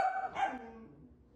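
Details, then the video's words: Pomsky dog during play-fighting, one short bark with a quick high yip, then fading low rumble. "5 minutos de Sapphie peleando con todos"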